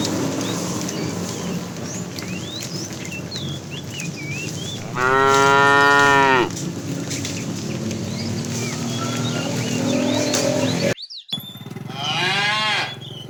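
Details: Tame cows run toward green pasture during morning herding; one loud sustained moo lasting about a second and a half, then a softer moo after a short cut, with birdsong in the background.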